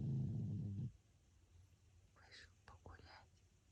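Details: A short, throaty, pulsing snore of under a second from sleeping pug François, followed by soft whispering in a hushed room.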